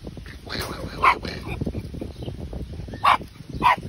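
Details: A young Patterdale Terrier puppy, 12 weeks old, gives three short, sharp yelps spaced irregularly over a few seconds. Rustling and room noise fill the gaps between them.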